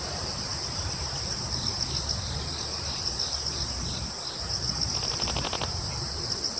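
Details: Crickets in woodland on Yeongjong Island, Korea: a steady, high, shimmering insect chorus with short bursts of rapid pulsed chirps, plus a brief quick ticking series near the end, over a low breezy rumble.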